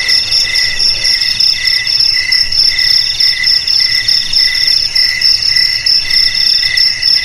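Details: Cricket chirping, offered as a sound to drive rats from homes, garages, warehouses and rice fields: a steady shrill multi-band trill with pulsed bursts lower down, about once per second, with no other sounds.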